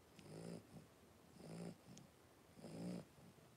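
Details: Blenheim Cavalier King Charles Spaniel puppies, three weeks old, from a litter of five, wrestling in the puppy pen; short nasal whimpering squeals with a low tonal hum repeat roughly every second, between quieter snuffles.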